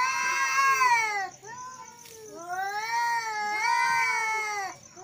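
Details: Angry male cats giving long drawn-out wailing meows, harmonic calls that rise and fall, three long yowls in a row with brief gaps, with a faint steady high-pitched whine in the background.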